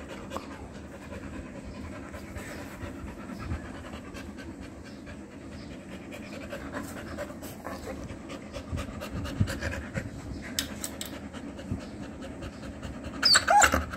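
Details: Female Rottweiler playing on a Sunday, breathing in fast, steady pants, roughly three to four per second, as a low, rough, breathy rush throughout; a few brief, sharp, high-pitched sounds near the end.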